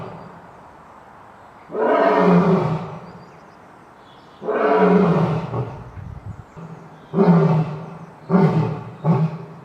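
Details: Lion roars: two long, loud, rasping roars with falling pitch about three seconds apart, followed by three shorter, deep bursts in quicker succession; steady low background hum between calls.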